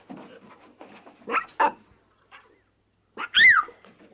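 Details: Playful lion cubs frolicking in the wild: soft grunting chatter, then two loud throaty yelps, a pause, and a sharp high squeal that climbs and drops, followed by low murmurs.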